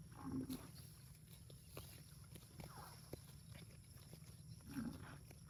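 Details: Cows in a park give low, droning moos, with deep rumbling energy under faint background noise.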